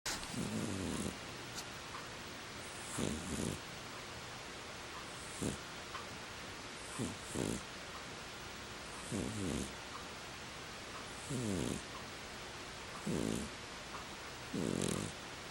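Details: Ferret snoring while asleep on a heated throw: soft, rough, fluttering breaths recur about every two seconds in a quiet indoor room, each lasting under a second.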